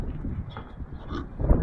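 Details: Pigs at supper time after being fed, on a warm 80-degree May day outdoors, giving low rumbling grunts toward a nearby herding dog; short breathy bursts, with a person talking in the background.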